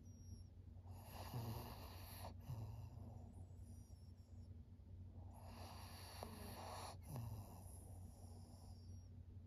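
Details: Maria, a 13-year-old fawn female senior pug in Japan, recorded September 5, 2023: two long, rasping, noisy breaths a few seconds apart, each swelling and fading, over a steady low background hum.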